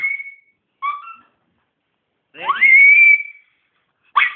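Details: A pet Miniature Pinscher in the Philippines "sings" on command, a thin, high howl that swoops up and holds a steady, whistle-like tone.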